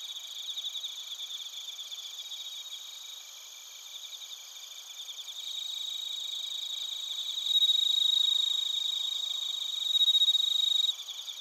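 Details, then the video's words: Suzumushi and other crickets in Narita, Chiba, Japan, recorded with a TASCAM Portacapture X8: high rhythmic pulsed chirping over a ringing chorus, with clear sustained pure tones swelling in around the two-thirds mark before fading. "スズムシとコオロギの鳴き声 - Chirping of crickets"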